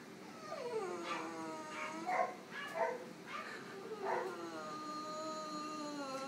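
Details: Drowsy female French Bulldog just out of routine surgery at an animal clinic, unhappy from anaesthetic and mild discomfort, gives a string of wavering, falling whimpers and short yelping howls, several seconds long, indoors.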